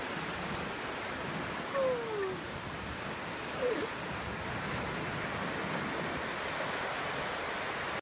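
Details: At Paradise Cove, a mother seal gives a short, descending wail, calling for her pup over steady surf.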